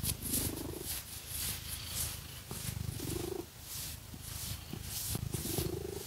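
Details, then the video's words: Pet cat purring while being scratched with fake nails: a low, steady rumbling purr runs throughout beneath loud, rasping scratches of nails through fur that come in strokes every couple of seconds. "Scratchy Cat Massage | 🐈 Lots of Purring"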